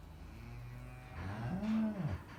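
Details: Farm cow that has just given birth to a calf; after a low background rumble, a single short moo rises then falls away near the end.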